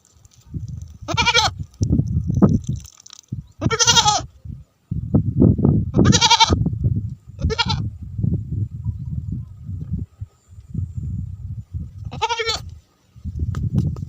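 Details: Several goats, with sheep, bleat in wavering, nasal cries a few seconds apart over a low rumble, after rain in Tharparkar.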